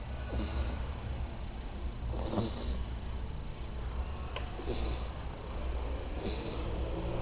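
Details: Sleeping female American Staffordshire Terrier called Mel snoring indoors; soft hissing breaths return roughly every two seconds against a constant low droning background.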